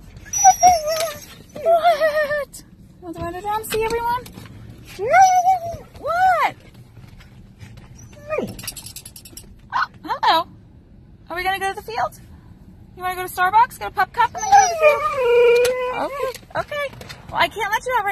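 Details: Key the husky vocalizes while waiting to be let out at a school field: a string of wavering, mid-pitched woo-woo calls that bend up and down, interleaved with a person talking back to the dog.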